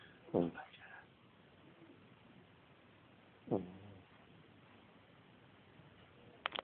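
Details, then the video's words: A pet dog snoring while asleep during one of its naps indoors: short, rough snorting bursts roughly three seconds apart, with quiet room hiss in between. "Perro roncando"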